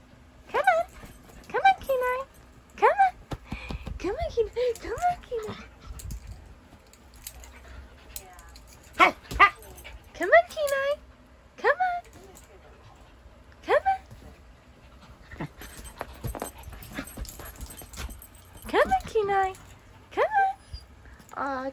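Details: Playful Husky puppy, chased by a shih tzu and urged to jump up onto a bed, gives scattered high yelping yips and squeaky whines in clusters throughout, mixed with bouncy barks and a person repeating "come on".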